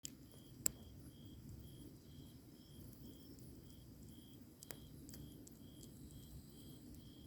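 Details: Grass insects on a summer night beside a campfire, a steady high chirp pulsing evenly about twice per second, with fainter high buzzing trills above, low crackling background and a few sharp pops from the fire.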